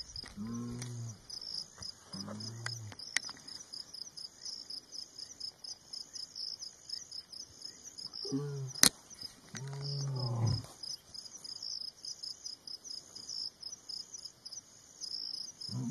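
A lion gives deep, rumbling grunts in short bursts over a steady high chorus of crickets.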